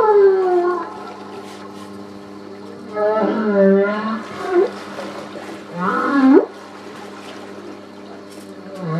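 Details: Humpback whales recorded off Port Stephens, New South Wales, Australia, on 8 August 2009 during a whale-watching cruise: moaning song units with sweeping falling and rising tones, rich in harmonics, over a steady low hum.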